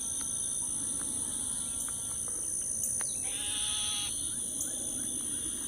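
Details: Several kinds of frogs calling at a lake in Lake Houston Nature Park, Texas, around 8 p.m. Nasal, harmonic bleating notes and short clicks sound over a steady high whine.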